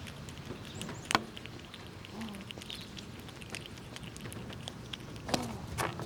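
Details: Squirrels cracking and eating nuts in winter while pushing each other around: scattered crunchy clicks and soft rustling, punctuated by two sharp, loud cracks, one early and one late.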